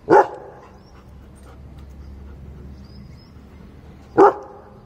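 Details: A German Shepherd barking on command gives two loud, sharp single barks about four seconds apart.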